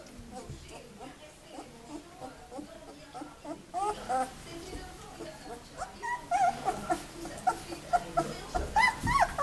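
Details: White Swiss Shepherd puppies from one litter, 19 days old, summer 2014; short high whimpers and squeaks, sparse at first, then crowding into a quick irregular chorus of rising and falling whines, with soft background voices.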